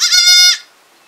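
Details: Kid goat in a village giving a single loud, sustained bleat about half a second long, bright and strongly harmonic, ending cleanly into silence.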